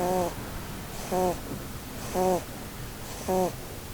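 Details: Blueberry, a Holland Lop rabbit, snores in her sleep under the Christmas tree; four short buzzy harmonic snorts, roughly one per second, each a rich stacked tone with breathy noise, quiet between.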